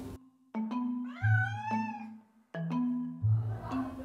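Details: A stray kitten that seems to have very little sight, set on the floor for a vision obstacle-course test, gives a single drawn-out meow that rises then falls, over steady background music.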